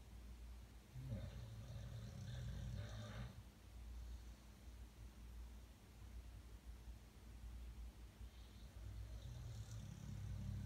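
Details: Dog asleep at night, snoring as it does every night. A low, gravelly snore of about two seconds opens, then a quiet pause, and a second rumbling snore starts near the end, over a constant low hum.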